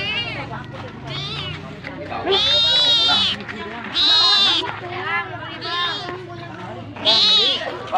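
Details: Cat begging for food with a run of meows: loud, sustained, strained cries at about two-and-a-half, four and seven seconds, and quieter, shorter wails between.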